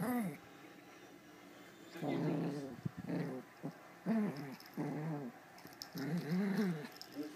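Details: Two female Pomeranians, a small one and an adult, playing together over a toy; the bigger one makes low rumbling growls in repeated bursts about a second long, with a faint voice in the background.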